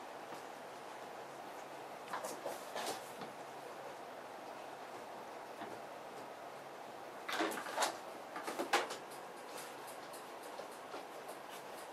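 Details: Knocks and sliding bangs, like a cupboard or door in a small room, with no animal voice.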